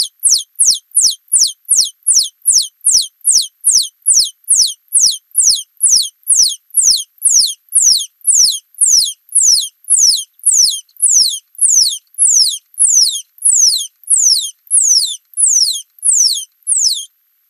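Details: Scotinomys teguina, a singing mouse, in slowed playback: a long run of high downward-sweeping notes, quick and even at first, then the notes spread apart and lengthen toward the end before stopping.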